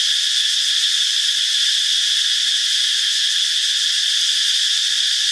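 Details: Loud chorus of numerous cicadas, hatched in the dry season, fills a northeastern Thai forest with a constant piercing electric whine at even volume from start to finish.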